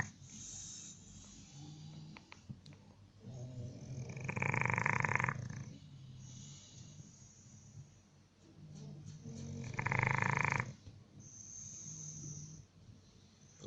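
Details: Snoring bulldog giving two loud harsh rasping breaths a few seconds apart, with softer low snuffling and breathing between them; a low steady hum in the background.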